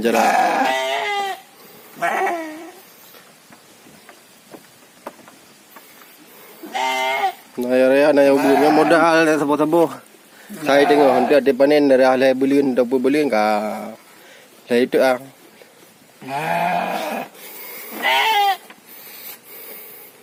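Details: Farm-raised sheep (domba, kibas gibas) on a three-month fattening scheme: a busy run of quavering, overlapping bleats, several animals calling in long wavering bursts with short gaps between.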